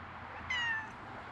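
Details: Black stray domestic cat sitting near the person filming gives one short, high meow with a slight downward slide, about a third of a second long, over a steady low background hum.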